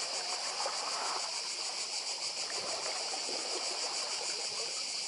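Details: Cicada chorus by the sea on Croatia's Badija island: an unbroken, shrill, finely pulsing buzz over soft splashing and murmuring water.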